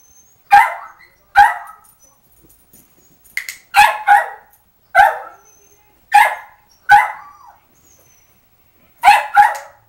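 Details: Foster puppy getting used to being in a crate, giving a series of short, sharp barks and yips, about eight bursts in ten seconds, some doubled, with quiet gaps between; indoors.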